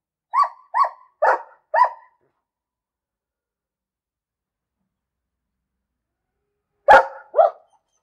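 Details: A dog barking: four quick evenly spaced barks in the first two seconds, then a long silence, then a sharper loud bark followed by a softer one near the end.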